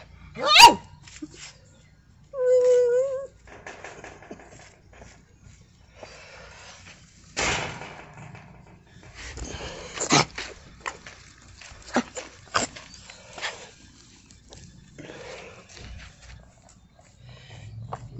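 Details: Miniature poodles playing with a big toad, which was not hurt: a sharp rising yelp, then a steady high whine lasting about a second, followed by scattered knocks, rustles and brief squeaks in a quiet space.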